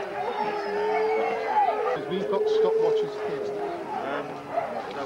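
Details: Huskies at a sled dog race weekend in the Forest of Dean, November 2001, recorded on VHS; sustained, steady howls held on one pitch, several dogs overlapping, with people chattering in the background.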